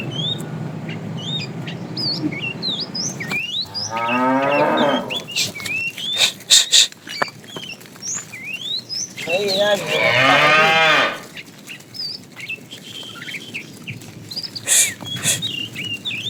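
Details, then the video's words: Cows in a tame herd roam the road looking for food; two wavering, strained moos sound several seconds apart, amid dense bird chirping and a few sharp clicks or knocks. "Funny cow sounds"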